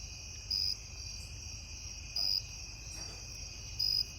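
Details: Cricket sitting on back steps at night, chirping in loud, high bursts about a quarter second long, repeated roughly every one and a half seconds, three times, over a constant high-pitched insect drone.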